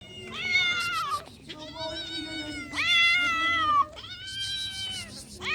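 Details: Wounded, hungry cat asking for help, giving long drawn-out meows with rich harmonics, four wailing calls of about a second each, some rising then sagging in pitch, separated by short pauses, with no other clear sounds.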